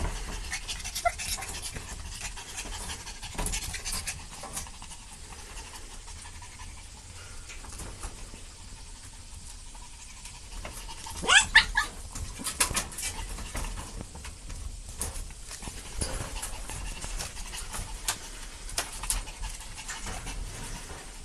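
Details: Puppies playing together, breathing in soft, breathy pants amid light scuffling clicks and rustles, with a brief louder burst of scrabbling around the middle, against a quiet low background hum.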